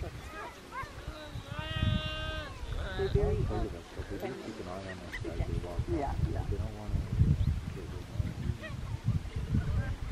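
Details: Geladas in Simien Mountains National Park, Ethiopia, seen at close range and unstressed by people, give a drawn-out, wavering call, then a stream of low, constant voice-like chatter.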